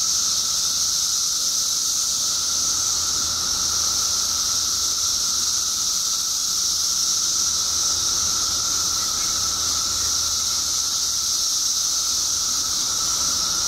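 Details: Periodical cicadas in Illinois, a mass emergence of billions after 17 years underground, fill the air with a steady, unbroken high-pitched hissing drone that holds constant throughout, with a fainter higher whine layered above.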